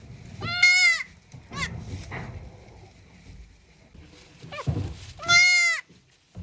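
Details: Newborn goat kid on its first day of life bleating: two loud, wavering, harmonic-rich cries about five seconds apart, with softer shorter bleats and rustling between.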